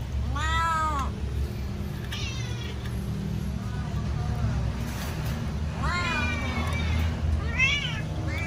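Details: Domestic cat meowing loudly while waiting for food to be served: four drawn-out harmonic meows, each rising then falling, spaced irregularly over a steady low rumble of background noise.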